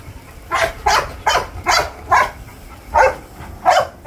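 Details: American Bully puppy giving short, hoarse barks about every half second in a steady, slightly uneven run of eight calls, with faint low background rumble.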